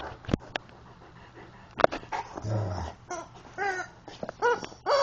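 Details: A Rottweiler playing with its favourite rubber chicken toy whines in short, high, arching whimpers, rising and falling, repeated several times toward the end, between thumps and handling noises and a person urging it to get the toy.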